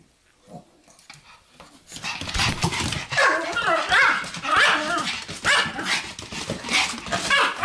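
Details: A Pomeranian 'lecturing' with grumbling barks and whiny vocal sounds. It is quiet for the first two seconds, then gives a dense, continuous run of rough, rising and falling yaps.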